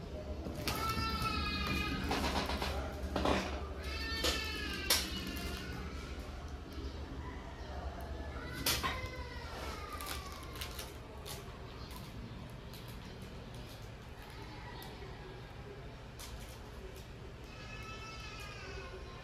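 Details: Playful kitten mewing in quick bursts of short, high, falling meows during the first half, then quiet, with one more brief series near the end over steady background hum.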